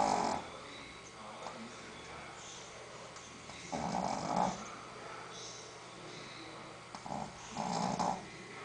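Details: Female Shih Tzu Sophia sleeps and snores softly, giving three faint, raspy breaths roughly four seconds apart, each with a slight whistle, over a low, steady indoor hum.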